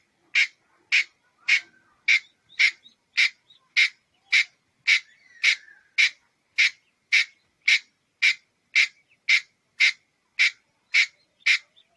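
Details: Red-headed squirrel calling with a steady series of harsh, sharp chuck notes, about two every second for twelve seconds, each note bright and noisy with no other sounds.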